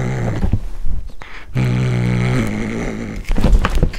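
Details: Domestic cat eating corn for the first time, growling as it eats: a low, steady, buzzy rumble held for about two seconds, slightly shifting in pitch, framed by chewing and crunching noises.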